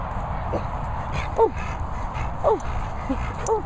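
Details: Labrador Retrievers Bertie, Honey and Mellow, three dogs at training and boarding kennels in Worcestershire countryside; short, thin rising-falling whimpers repeat roughly once a second over a steady low rumbling background noise.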